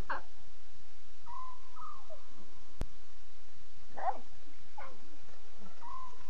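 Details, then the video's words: Night recording of lion cubs, 5 October 2016 at 2:40 a.m.: two short, strained whining mews in the second half, with flat whistled tones drifting through the background. "Here is 6 full minutes of the cubs. WOW are they talking"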